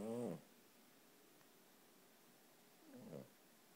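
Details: A one-year-old male Boston Terrier, wearing a sweatshirt and sleeping with one eye open, snores with short, low, nasal rasps spaced a few seconds apart.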